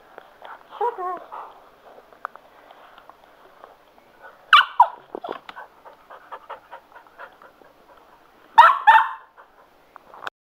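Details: Male Cocker Spaniel Sugar, excited by a spin mop, gives a short whine and two loud double barks several seconds apart, amid the clicking and rattling of the mop.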